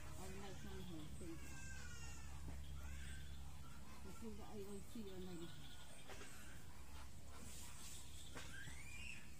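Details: Hungry kittens calling for milk from their mother: several wavering, rising-and-falling meows in short bursts, then one thin upward-sweeping cry near the end, with a person speaking briefly amid steady low background hum.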